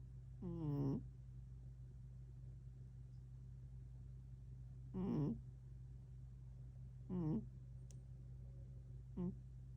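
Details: Tank, a pet cat recorded on 11 October 2025, meows four times at uneven intervals, each call shorter than the one before, the last a tiny chirp, against a constant low electrical hum.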